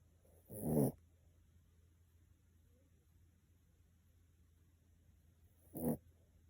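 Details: Sleeping Miniature Pinscher snoring indoors: two short, raspy breaths about five seconds apart, each a brief rough burst with a faint hiss, separated by quiet room hum.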